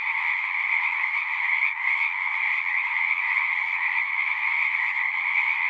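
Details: Singing frogs in a massed chorus, an unbroken buzzing trill of many voices at constant loudness across mid and high pitches, with a brief slight dip partway through and no other clear sounds.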